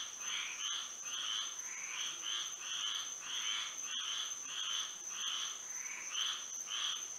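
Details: Night-time frog chorus in Florida by moonlight, with many short rasping trills pulsing about one to two times per second and overlapping irregularly, set against a constant thin, high background whine.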